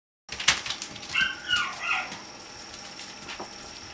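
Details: Chocolate Cocker Spaniel puppies meeting a new friend: a quick run of high, whiny yelps that rise and fall over about one second, followed by quieter shuffling and faint clicks.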